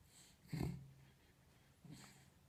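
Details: Sleeping pet dog snoring indoors: two low, rough breathing snorts about 1.4 seconds apart, the first louder, in a quiet room.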